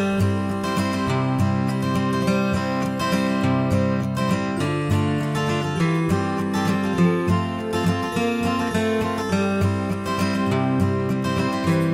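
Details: Steady acoustic guitar music with strummed and plucked notes throughout, and no animal sound audible.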